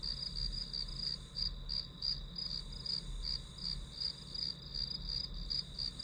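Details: Grass insects heard as white noise for studying: high, rapid chirps about three per second with uneven spacing, over a persistent shrill insect drone and soft low rumble.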